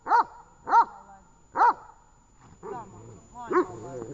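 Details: Dog during a training session in Horlivka on 18 August 2019 gives three sharp, harmonic barks about two-thirds of a second apart, followed by human speech.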